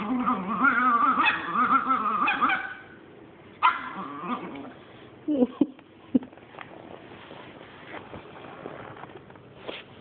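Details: Hoarding Chihuahua giving a battle cry toward a Boston Terrier: a wavering, harmonic growl-snarl rising and falling for nearly three seconds, a sudden sharp yelp, then quieter rustling, clicks and brief snaps.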